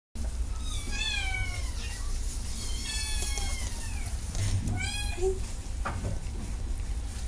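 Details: Domestic cat meowing indoors: several drawn-out harmonic meows, some rising then falling, spaced irregularly over about seven seconds, over a steady low hum and a few soft knocks.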